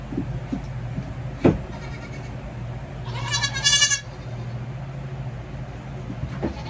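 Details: A single quavering bleat from a young goat while its hooves are trimmed, with a sharp click just before and a constant low hum underneath.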